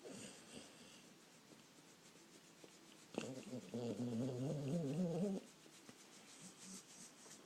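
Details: Dog asleep indoors, heard after a quiet stretch as a single long, rattling snore lasting a couple of seconds, low and faintly wobbling in pitch before it fades back to soft breathing.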